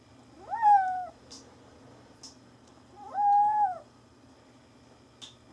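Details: Indoor kitten giving two clear, loud meows about two seconds apart, each rising sharply, holding, then sliding down, with soft rustles and small thumps between the calls.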